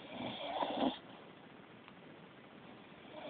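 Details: A beagle asleep indoors gives a single rough, wheezy snore lasting about a second, followed by near silence with a faint click.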